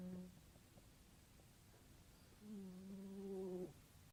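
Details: Sleeping cat snoring loudly: a short low droning note at the start, then quiet breathing, then a longer steady humming snore of about a second with a buzzy, harmonic-rich tone before it fades.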